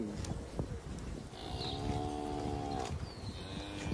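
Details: A calf moos once with a drawn-out, steady, harmonic-rich low tone lasting about a second and a half, among rustling and clattering farmyard noise.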